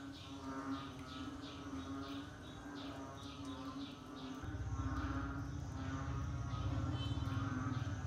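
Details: Frogs calling in the rainy season, a chorus of short repeated croaks and chirps several per second over a steady low drone, with a deeper rumble growing louder halfway through.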